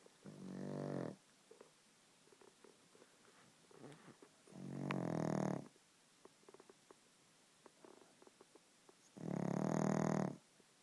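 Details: Sleeping pug snoring indoors: three long, rough, rumbling snores about four seconds apart, each lasting roughly a second, with faint clicks and rustles between them.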